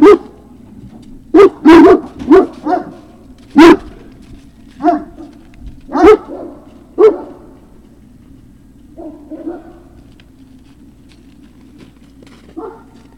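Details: Great Dane puppy recorded at Puppy Hill on 03-06-2019: a lively run of sharp barks, clustered in the first seven seconds, then fading to a few softer yelps.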